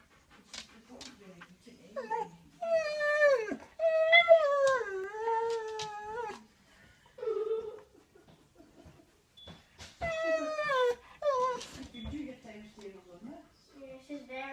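A Siberian Husky makes long, wavering, talkative howls and yowls that bend up and down in pitch.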